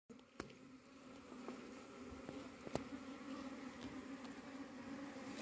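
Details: Honey bees in a diseased beehive in Humla where bees have died: a faint, steady low hum with an overtone above it, broken by sharp clicks and knocks near the start and middle.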